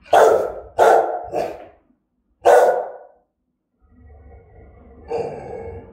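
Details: Fierce, threatening barking from a German-type Rottweiler: four deep, harsh barks, three in quick succession and one after a short pause, then quieter rough rumbling and a final louder bark-like burst.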